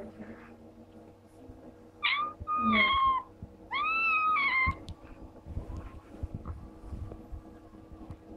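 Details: Maddy, a little ginger kitten, meowing while playing: three loud, drawn-out meows with arched, bending tones, the second and third longer, then quieter shuffling and low household noise.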